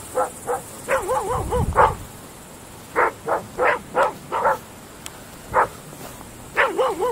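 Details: Groenendael dogs, Belgian Shepherds, barking at night in open fields, mixing short barks with wavering, warbling yelps that rise and fall, bursts separated by brief pauses.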